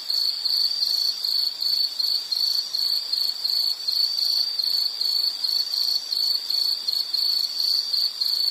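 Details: Insect chirping as a calming nature sound: a steady high-pitched trill pulsing in short bursts roughly every third of a second, continuous throughout with no other sounds.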